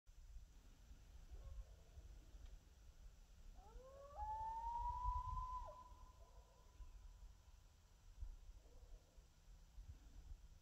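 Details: Coyotes howl just before dark near a mile-long corn field with four deer nearby: a single long howl rises and then holds steady over low rumbling background noise.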